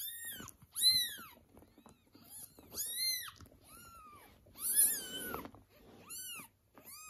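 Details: Mother cat and her kittens indoors, the mother reacting to kitten meowing and dragging her young back; loud, high, arching meows repeated every second or two, one rough and breathy, with soft rustling between.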